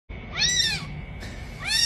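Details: Newly born kitten giving two high, thin meows, the first arched and drawn out, the second starting near the end, over a faint steady electronic whine.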